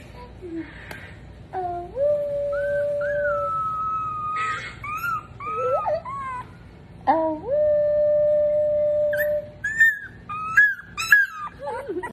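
An Alaskan Malamute puppy howls in long, steady, slightly quavering notes that scoop upward at the start.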